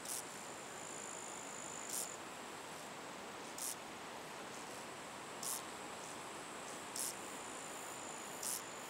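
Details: A common field grasshopper in Estonia in August 2012 gives short, dry rasping chirps about every two seconds over a steady high buzz.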